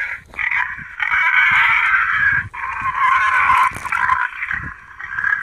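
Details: Wild boar lure sound for calling boar to a feeding place: a piercing, wavering squeal that rises and falls, starting with short bursts and then held in long stretches.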